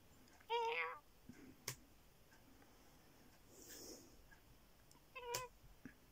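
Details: Domestic cat meowing twice: a half-second, bending meow at the start and a much shorter, clipped mew five seconds later. Sharp knocks and a soft rustle fill the quiet gap between them.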